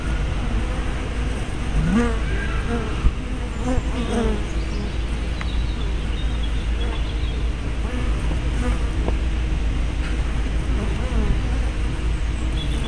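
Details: Bees coming and going at hive entrances on 24 May 2012, captured by a small spy camera with a 180-degree fisheye lens: several low buzzing passes around two and four seconds over a continuous low rumble.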